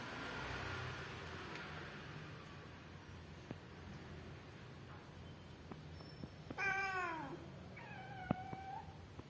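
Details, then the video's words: Hungry stray cat being fed with kittens in the morning; two short harmonic meows near the end, the first loud and falling, the second softer, over low room noise, a person's voice speaking nearby. "Hungry Cat - Feeding Cat and Kittens Everyday Morning"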